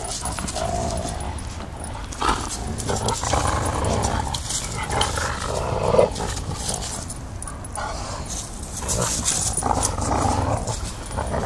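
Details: English Mastiff Rufus, five months old, playing in a backyard with his three-year-old sister Chica; rough, low growling and huffing noises rise and fall through the romp, with rustling and scuffling between bursts.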